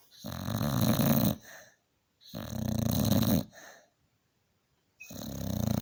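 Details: A tired male Staffordshire Bull Terrier, worn out after a hard day, snores loudly in his sleep, with long rumbling inhalations and softer exhales.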